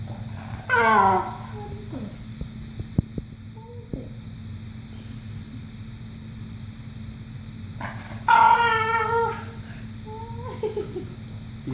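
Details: A Boston Terrier gives two bursts of high, wavering whines with yodel-like bends in pitch while trying to get people to play with his rope; his owner asks why he seems so worried.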